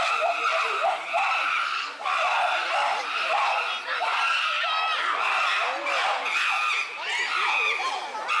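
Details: Chimpanzees in an uproar at Tama Zoological Park, June 2022: a dense chorus of loud, shrill, overlapping screams with rising and falling pitch, continuous and barely pausing throughout.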